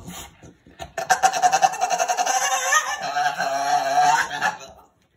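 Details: Jinx, a female blue Staffordshire Bull Terrier, indoors and excited about going to pick up her owner, gives a turkey-like gobbling warble: rapidly pulsed, about three to four beats a second, lasting some four seconds and lifting slightly near the end, after brief voices.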